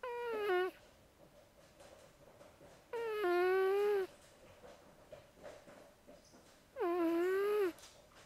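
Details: Zoey, a female house cat, snoring in her sleep: three drawn-out, tonal, nasal whines, each under a second and falling slightly in pitch, spaced about three seconds apart in a quiet room.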